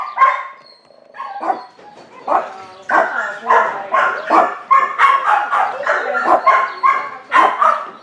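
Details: Young neutered male Chihuahua mix, about fifteen months old, at a shelter in San Gabriel, California, gives a run of sharp, high yapping barks in quick irregular bursts, roughly fifty a minute, with a faint human voice behind.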